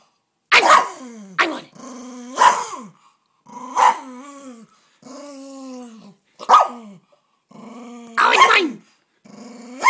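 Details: Sbeic, a pet dog guarding a bone while being teased, gives sharp broadband barks mixed with drawn-out grumbling growls that rise and fall in separate bouts over about ten seconds; a person's playful high voice is heard faintly between them.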